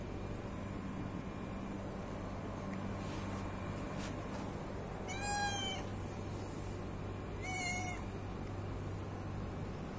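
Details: Hungry domestic cat meowing: two clear, tonal meows about two and a half seconds apart, each with rich harmonics, over a steady low hum and faint background noise.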